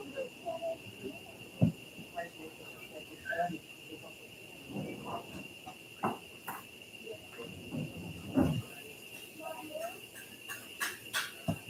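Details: Cicadas at Uvita on Costa Rica's southern Pacific coast start up their steady, high buzzing drone shortly after 8, beneath a man talking; they stop around sunset.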